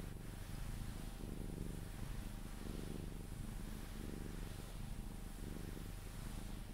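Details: Sphynx cat purring through cuddles until asleep, a steady low buzzing rumble rising and falling with each breath about every second, quiet indoor background.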